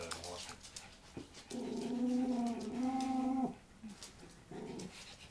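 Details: Schipperke indoors at Ebony's 9th birthday party in April 2013 gives a steady, sustained whining howl lasting about two seconds, followed later by a shorter, softer whine, with scattered human voices around it.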